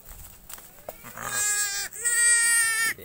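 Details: A farmed goat gives two loud, wavering, nasal bleats, the second one longer and level. Soft human talking is heard before the bleats, with a short laugh at the end.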